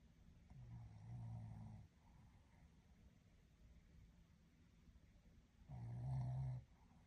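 A Shih Tzu snores deeply, each long rumbling inhale separated by a quiet pause.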